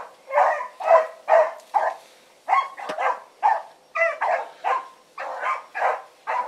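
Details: Dogs of the Blackreek pack, Choco, Dino, Johnny Ringo and Mingo, turned loose on an evening run, give loud, choppy barks about twice a second with short pauses, some notes drawn out and rising.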